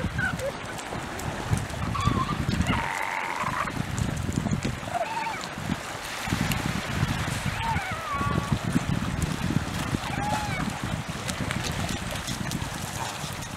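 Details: Fortuna Bay seal pups, 31 Jan 2022, give wavering, bleating calls over steady rumbling wind and surf.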